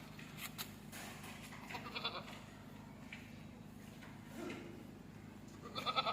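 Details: Goat presented for Bakra Eid, with short harmonic bleats near the start and a brighter quavering bleat at the end over a constant low hum.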